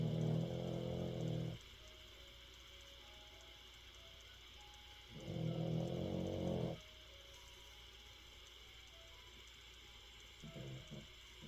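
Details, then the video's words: Spitz puppy asleep and snoring, likened to the sound of a digging machine: low, rumbling, harmonic snores, two long ones about five seconds apart, then a shorter, fainter one near the end, with quiet room hum between. "스피치강아지 코고는소리 땅파는기계소리네유"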